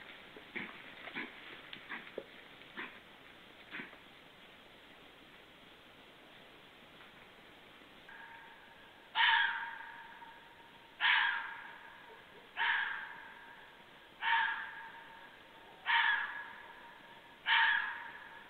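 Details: A fox barks at 23:51 on 2 January 2014, a series of harsh, hoarse barks about one every one and a half seconds.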